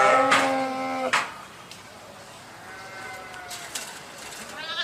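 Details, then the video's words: Sheep uttering one short, strong bleat at the start, followed by quiet background with faint distant bleating. "صوت الخروف | the sound of the sheep"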